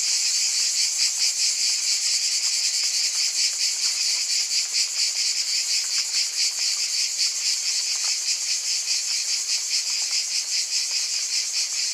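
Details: Unbroken high-pitched cicada buzzing, many insects together making a dense pulsating drone that holds steady throughout, with no other animals or noise.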